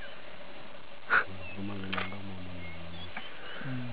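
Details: Lioness in the Sabi Sands, South Africa, trying to lure a tired, uninterested male lion to mate; a deep, drawn-out harmonic growl lasting about two seconds, then a shorter low moan, with a sharp click just before.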